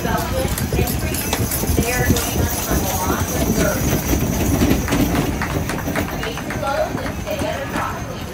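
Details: Belgian draft horse hitches entering the show ring at the Mississippi Valley Fair in Davenport, Iowa, in 2023. Hooves clop steadily and rapidly, with an announcer speaking over the public address throughout.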